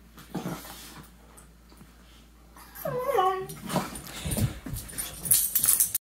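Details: Two pet dogs play fighting indoors on a couch, trying to nibble each other's faces with tails wagging. A brief whine falls in steps halfway through, then come growly grunts and rustling scuffles.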